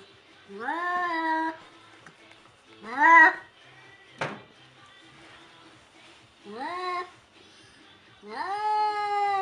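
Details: White cat confronting a mannequin, giving four drawn-out meows, each rising then sliding down with rich harmonics, spaced a few seconds apart, with a short sharp click between the second and third call.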